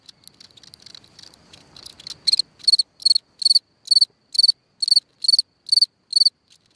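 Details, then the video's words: Night recording of a cricket singing from its hole in the ground; soft scratchy rustling opens the clip before clear high-pitched pulsed chirps begin, coming regularly roughly twice per second until near the end. "Watch and Listen a singing Cricket (Chirping sounds, Hole in the ground, Night Ambient Sounds)"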